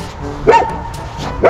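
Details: German Shepherd meeting other dogs while trying to find friends on a walk, with two short, sharp barks about a second apart over a low background rumble.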